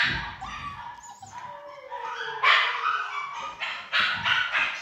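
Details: Pomsky cross Samoyed whining with a long, slowly falling tone, then breaking into loud, sharp high barks in quick succession.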